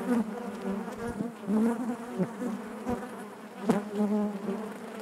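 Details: Honey bees droning within the hive, a thick low hum that rises and dips in loudness, with passing bees' whines and one crisp tap near the end.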